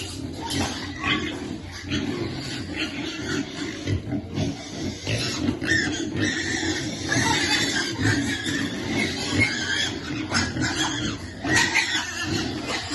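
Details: Fed piglet waiting to eat, producing steady rough grunts and snorts for the whole stretch, with intermittent sharp knocks and rustles over the top.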